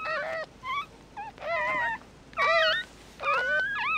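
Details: Newborn mixed-breed puppies, eyes not yet open, give high, wavering whimpering cries in short bursts of about half a second, five or six over four seconds with quiet gaps between, each cry bending up and down in pitch.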